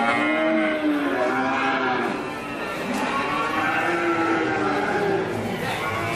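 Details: Several cattle mooing together in a dense, continuous chorus of overlapping drawn-out bellows with wavering pitch.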